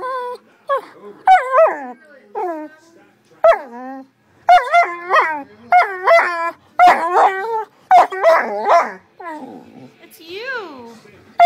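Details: A female Great Dane seeing herself on camera for the first time gives a run of high, whiny barks and yelps that bend downward in pitch.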